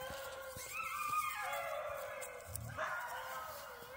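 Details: Alaskan Malamute puppies out walking on March 21, 2024, giving drawn-out, wavering howl-like vocalizations that slide up and down, with a brief low thump partway through.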